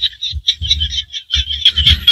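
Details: In the Cambodian rice-field countryside, small frogs give high, rapid trilling calls in a dense, continuous chorus.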